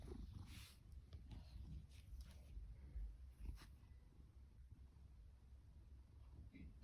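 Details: Fasu, an orange tabby male cat born October 2019 and adopted from a rescue shelter, rumbles with loud low purring and snoring, a deep pulsing drone with soft breathy bursts.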